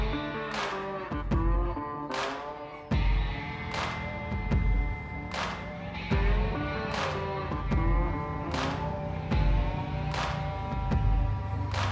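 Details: Plucked guitar music with strong rhythmic strums roughly every one and a half seconds and sustained ringing notes.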